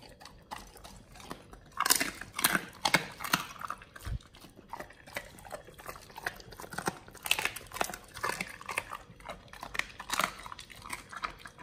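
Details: Pit Bulls eating a raw-feeding combo of frog legs, soft-shell crab and duck feet, recorded close up indoors: wet crunching and biting in irregular bursts, with sharp cracks of bone and shell and a soft thud.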